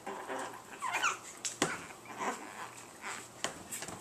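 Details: Tiny Chihuahua puppies indoors, among them Tinker, a small black-and-white spotted male, recorded March 23. A thin, wavering whimper rises and falls about a second in, followed by soft rustles, thumps and faint squeaks in a small room.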